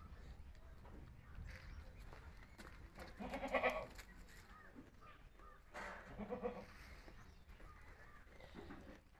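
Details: Two brief, quiet bleats from Himachali goat kids in Himachal, a few seconds apart, over steady low background noise.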